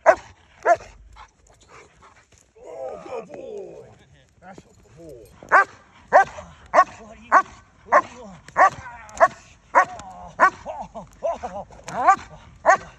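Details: Estate guardian dog barking: a few sharp barks, then a stretch of human speech, then a steady run of loud, sharp barks roughly every half second to the end.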